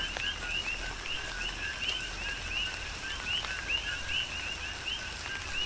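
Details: On Hawaii's Big Island, coqui frogs call through a rain shower: rhythmic two-note chirps, each ending in a bright rising whistle, repeated about twice per second across several callers, over scattered drip sounds.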